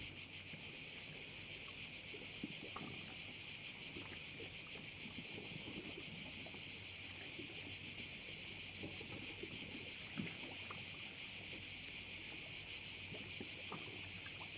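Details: Crickets chorusing by a bay on Korčula: a dense, unbroken high-pitched buzzing with a fine rapid pulse, holding steady throughout, with scattered faint clicks and rustles beneath.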